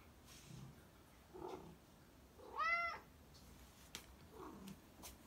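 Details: A black cat gives a single short meow, an arching tone rising then falling, in the middle of an otherwise quiet indoor stretch with faint soft murmurs and a small click.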